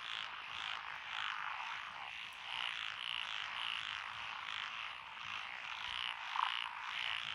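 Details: Rural lotus paddy at Echizen in Fukui Prefecture, June 12, 2021: a steady, high, buzzing frog chorus with faint repeated trills riding over it and one short louder croak near the end.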